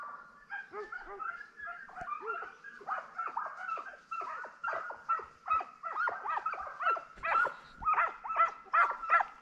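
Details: Pack of young Transylvanian Hounds training for wild boar hunting in summer, baying in quick, irregular yelping barks that grow louder and more frequent toward the end, several dogs overlapping.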